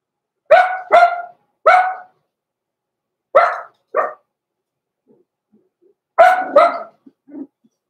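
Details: Blenheim Cavalier King Charles Spaniel puppies, a small litter born November 14, 2022, indoors in the Red Barn Cavaliers puppy pen at Christmas. Sharp mid-pitched barks come in quick pairs and triplets with short silent gaps, ending in a softer yelp.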